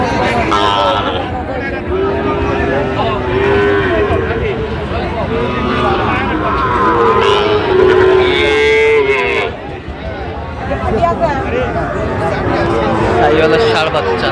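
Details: Sahiwal bull at Raniganj cattle market, Barishal, Bangladesh, 28 November 2024: several drawn-out lowing moos with a steady tonal line, heard over a constant din of market crowd chatter and voices.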